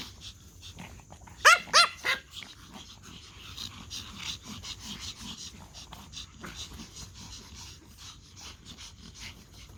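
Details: Toy Pomeranians barking at a whistle: a quick burst of three high, sharp yaps, then softer yips and snuffles.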